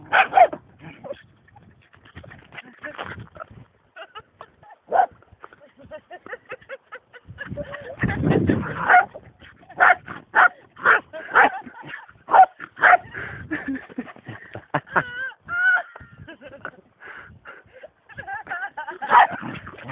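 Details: A pet dog, described as funny and crazy, lets out rapid, irregular bursts of short sharp barks and yips, roughly two per second. A louder noisy burst comes midway, and faint human voices are mixed in.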